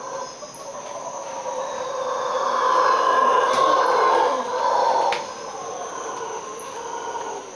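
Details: Howler monkeys calling at dawn, around 5 to 5:30 am, heard from a bathroom where they woke the listeners each day; a deep, rough roaring chorus swells for several seconds, then fades, over a steady high insect drone.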